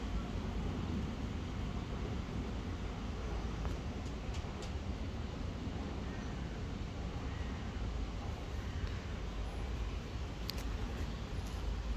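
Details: Steady street traffic rumbles throughout, with a few faint clicks and no animal calls.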